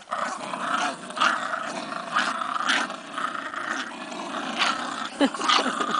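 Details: Pet bulldog vocalizing in a long, rumbling growl-like voice that surges repeatedly over six seconds, loud and harmonic with several bursts of emphasis, ending with a brief sharp yelp-like accent.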